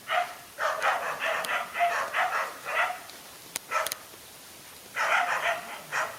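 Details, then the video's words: Dog barks from a fight involving two male dogs, coming in dense bursts of rapid yelping barks separated by short pauses, with a few sharp clicks or knocks between the bursts. "No fear to fight a lone again two male dogs"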